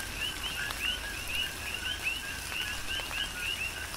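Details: Chorus of coqui frogs during a tropical rain shower on Hawaii's Big Island, each call a brief low 'co' and a rising whistled 'qui', sounding several times a second from multiple frogs against a hiss of rain.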